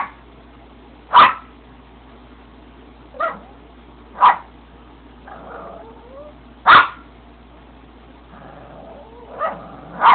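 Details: Small Yorkshire terrier barking at the camera for attention: six sharp, high barks spaced irregularly, plus softer whiny, wavering sounds between them, in a quiet indoor setting.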